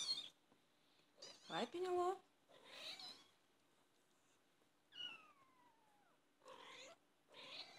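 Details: British Shorthair kittens, 24 days old, call in short, high, wavering mews, one drawn out and falling steadily in pitch, while a person's soft voice talks between and over the calls.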